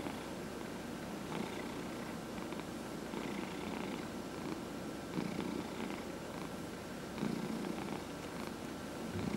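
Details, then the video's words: Purring house cat being massaged indoors, among four cats including adopted seniors; low continuous purr swelling with each breath roughly every two seconds, with light rubbing sounds over the top. "Four Purring Cats — Cat Massage"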